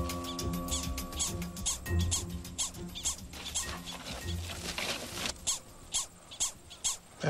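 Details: In a field experiment on a Gunnison's prairie dog colony, a prairie dog gives its distinctive coyote alarm call, a rapid run of sharp, high chirps, and another answers across the colony.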